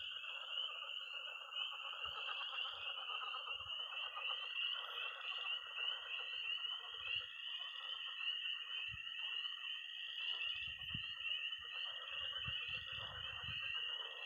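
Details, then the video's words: Early spring night in Missouri with peeping tree frogs, croaking pond frogs and high-pitched trilling toads: a constant shrill peeping chorus over layered pulsed croaking, with occasional low thumps and rumbles. "Relaxing sounds. 20 minutes of toads and frogs, sound only!"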